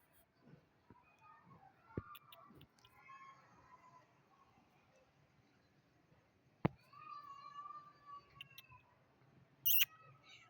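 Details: Little kitten meowing: a few soft, short mews early on, then a longer drawn-out meow that rises and falls, with sharp clicks and knocks in an otherwise quiet room.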